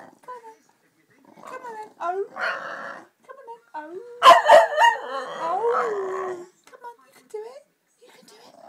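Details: Female dog singing to her owner on request: scattered short whines and yelps build into a loud, wavering, moaning howl lasting about two seconds, ending in a falling whine, while a woman urges her on and laughs.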